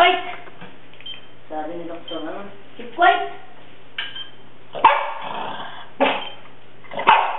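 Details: A pug snorting, grunting and barking at something, giving four short, harsh barks spaced about a second apart, with voices talking underneath throughout.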